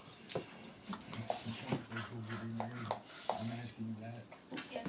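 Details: Play session between a nine-year-old pitbull, blind from birth, and a sixteen-week-old rottweiler puppy. Repeated rumbling growls come in short pulses with clicky rustles and scuffles in between, and a voice is heard at times.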